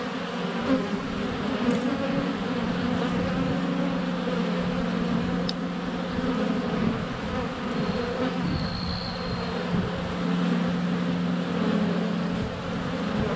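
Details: Honey bees in flight close to a hive entrance on a sunny February day, filmed with a GoPro Hero 7 Black under a foot away: a dense, steady low hum with droning tones, faint bird whistles briefly above.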